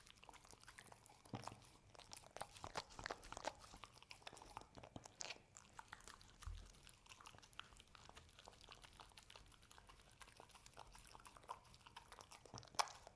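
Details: The pet dog Hazel works through homemade Cookie Cat and Ube Roll treats in a small room. Crisp crunches and chomps come in bursts, then slow to scattered bites with one sharp crack at the end.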